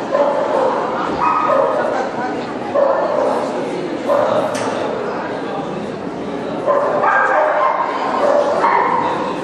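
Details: Barks from a Black Russian Terrier at a June 2010 dog show in Kyiv, Ukraine: clipped, harmonic yaps in uneven clusters every second or two, over constant background voices and show-hall noise.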